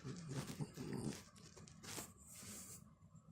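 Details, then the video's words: Pet dog Chobi, a Corgi crossed with a Pekingese, having its head scratched, utters a short low pulsed snorting grunt of about a second, followed by soft rustling and breathing indoors. "頭をこりこりするといびきみたいな声を出すちょび 【コーギー×ペキニーズ】"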